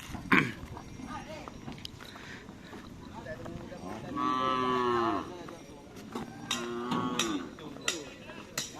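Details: Cattle at karapan sapi bull race training by Tim Snewen and Tim Paku Alam at Lap Asemanis; one drawn-out, rich harmonic moo lasting about a second midway, amid clicks, crowd murmur and outdoor background noise.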